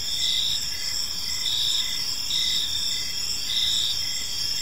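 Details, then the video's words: Crickets singing in a peaceful evening park, a dense high-pitched trill with louder pulses about every two seconds, over constant faint low-frequency ambient noise. "Cricket Sounds in a Peaceful Park"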